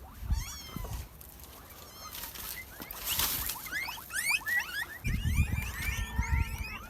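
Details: Reared guinea pigs after bathing and cleaning: bursts of shrill, rising squeaks in quick runs, growing denser toward the end, mixed with low thumps and handling noise.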